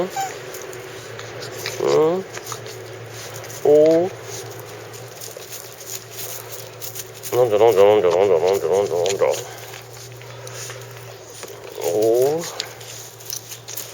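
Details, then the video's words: Chako, a Shiba Inu (registered name 智彌古) that suddenly joined a family as a new member, gives short high whimpering whines in four bouts. A longer wavering bout comes midway. A steady low hum lies beneath. "あたらしい家族 チャコ 柴犬"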